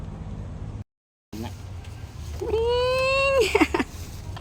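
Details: A farm goat while it gives birth; a single drawn-out bleat holds a steady, nasal, harmonic-rich tone for about a second, then short broken cries, with Tagalog voices nearby.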